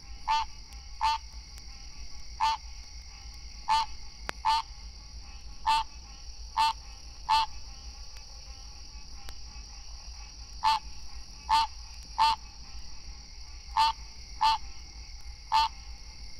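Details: Male green treefrogs (Hyla cinerea) in Florida give their mating call to attract mates: short, nasal, bell-like 'quank' notes repeated about once a second.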